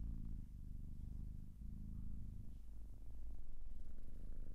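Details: Low, throbbing purr from a domestic cat, pulsing rapidly in an even rumble that swells slightly louder toward the end.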